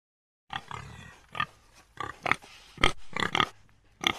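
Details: African common warthog giving a run of short, harsh grunts and snorty bursts, about eight in four seconds, some rough and nasal with a raspy upper edge, spaced irregularly after a brief silent start.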